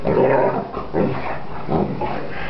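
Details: Greater Swiss Mountain Dog during an attack, producing a low, rough growl that swells in three pulses about every three-quarters of a second, harsh and sustained.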